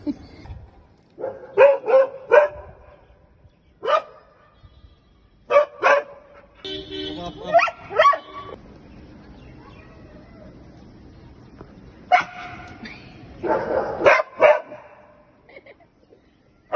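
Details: Maxx, a Belgian Malinois on a balcony, barking back and forth with neighbour dogs: loud single and doubled barks in irregular bursts, with pauses between volleys, some yelping higher notes, and a faint steady background hum.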